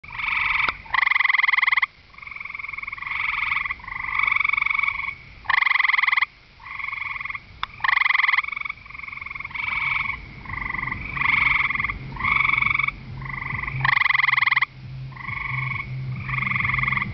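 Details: Gray treefrog calling at night from the ground at a pond edge on a warm, humid night, camouflaged against the soil. Loud, buzzy, pulsed trills of about one second, repeated with short pauses and some overlapping callers.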